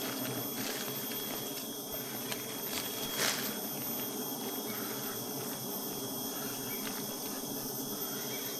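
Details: Honey bees at a hive, filmed while getting honey; a dense, steady insect hum fills the clip with layered tones, a constant buzzing drone with a few brief clicks and taps.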